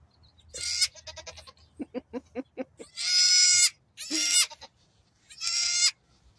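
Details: A pygmy goat kid less than a day old, one of two newborn female twins, gives several high, strained bleats, broken by a run of short stuttering notes.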